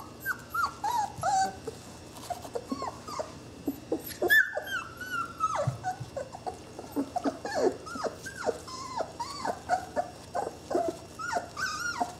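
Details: Saluki puppies, twenty days old, from one litter, giving high, thin whimpers and squeals with bent, sliding pitch. The calls overlap in a busy, continuous chorus, with a few lower grunting sounds mixed in.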